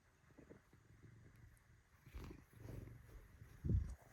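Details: Kneading Bengal cat Shintaro gives a deep, low purr in swelling waves, ending with a short louder low grunt-like sound.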